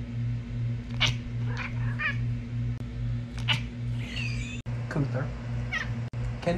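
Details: Talking pet cat indoors answering a woman's scolding with several short, wavering meows, some rising, interleaved with her speech over a steady electrical hum.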